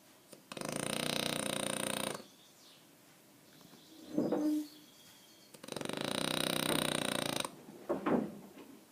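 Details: Snoring French Bulldog, Aquiles: two drawn-out, buzzing, rattly snores nearly two seconds long, broken by short snorting snuffles in the pauses.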